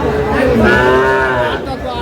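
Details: Cattle moo at Aftabganj cattle market in Dinajpur on 1/8/26, where improved-breed dairy cows and calves are sold; one drawn-out, tonal lowing call swells and fades over crowd murmur.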